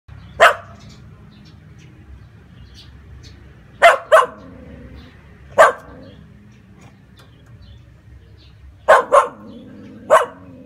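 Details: White-coated Samoyed dog barking: seven short, sharp, loud barks at irregular intervals, some in quick pairs and others spaced several seconds apart, over a quiet low background hum.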